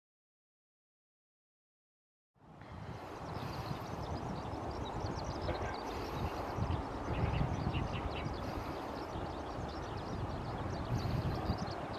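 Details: After two seconds of silence, a steady low rumble of passing vehicles or a train takes over. No animal calls stand out above the noise.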